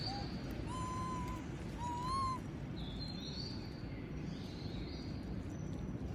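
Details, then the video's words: Monkey named Moby asking for food as others eat peanuts, giving two clear whistled whining cries, each about half a second and slightly rising, followed by soft high chirps over constant low background hum. "S@d Sound Monkey Moby Ask Food While Others Eating Peanuts"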